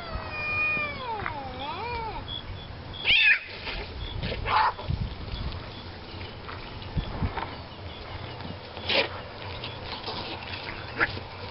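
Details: Two cats fighting outdoors: wavering, drawn-out yowls rising and falling in pitch at the start, then sharp harsh screeches and hisses scattered through the rest over a constant background hum.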